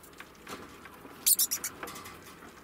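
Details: A mother degu, an estimated 4-year-old female, utters a short cluster of bright, high-pitched squeaks and chirps, clipped and close together, with only faint soft rustling and low background hiss before and after.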